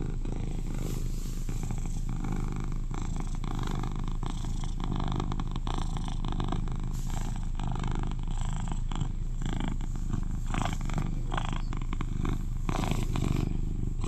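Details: Eleven-year-old male British Shorthair cat, described as the loudest purrer in his household and very cuddly, purring steadily: a dense, low rumbling drone with faint clicks and soft rustles over fourteen seconds.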